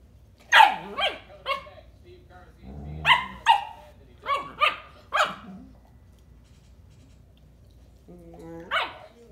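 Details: German Shepherd Dog puppy that wants to play lets out quick bursts of high yappy barks, three in a row, then a cluster of five more after a brief low rumble, followed by a pause and one final bark.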